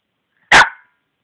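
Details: Dog giving a single short, sharp bark lasting under half a second, then silence.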